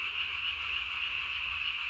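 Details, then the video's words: Night calling of a Japanese tree frog, 3 May 2020, with the sac beneath its chin blown up to body size; an even, high-pitched continuous trill fills the whole stretch. "밤에 우는 청개구리 울음판이 몸통 만큼 크네요?"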